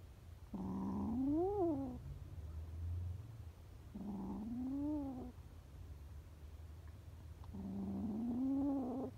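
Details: Frightened homeless kittens calling out, three long harmonic meows spaced about three seconds apart, each climbing then falling in a bent arc, with low rumbling noise underneath.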